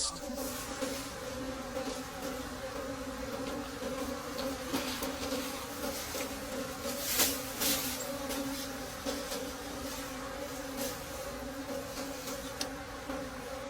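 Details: Wild bees at a forest nest during a late-season honey harvest deep in the forest, a steady droning buzz with a low hum and harmonic bands throughout, a few sharp clicks and a man's voice nearby.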